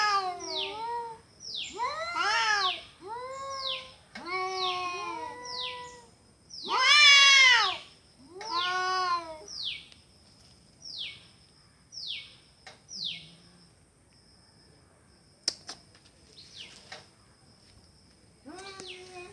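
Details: Cats fighting with loud arched yowls and wails in rapid bursts, peaking in a harsh scream near the middle, then a run of short clipped cries, faint clicks and a final yowl.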